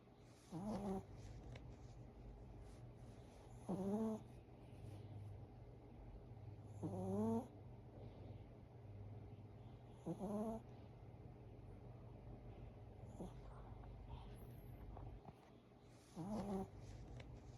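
A Chihuahua snores in a slow rhythm, each breath a short, wheezy, slightly rising snort.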